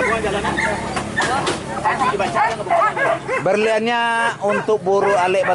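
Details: Hunting dogs chasing wild boar in Minangkabau, West Sumatra, Indonesia: rapid, high yelping barks in overlapping bursts, one drawn-out whining note midway, with human voices mixed in throughout.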